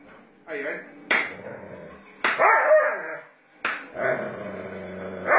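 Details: Doberman Pinscher in rough play with its owner, giving sharp, abrupt bark-like bursts with gaps between them, then a sustained rough, grumbling vocal stretch, with a human voice mixed in.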